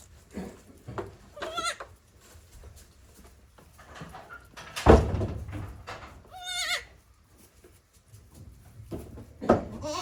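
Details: Newborn goat kids, one day old, on a Japanese goat farm in April 2024, giving wavering, vibrato-rich bleats, some high and trembling, separated by quiet gaps, with a sharp knock midway.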